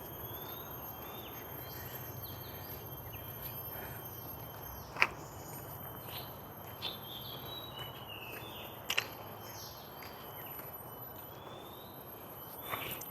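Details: Cicadas keep up a continuous, thin, high whine in old forest at Bukit Komanwel, Bukit Jalil, Kuala Lumpur, with brief bird chirps and whistles, a few footsteps, and road traffic hum from the big surrounding roads.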